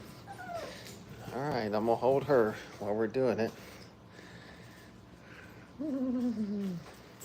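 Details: Five-week-old puppies playing and having fun at a kennel: wavering, whiny yelps with warbling pitch in a quick run of about two seconds, then one long descending whimper near the end.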